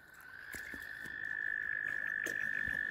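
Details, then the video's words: Mating frogs massed around a kayak give a steady, unbroken high trill that holds one pitch throughout and swells slightly louder after the first second, with faint clicks and knocks behind it. "Mating Frogs surround my Kayak"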